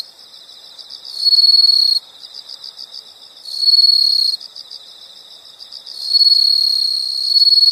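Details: Insects in a nature soundscape: a steady high chirping pulse runs throughout, broken by three louder, brighter trilling bursts of about a second each that swell and cut off abruptly.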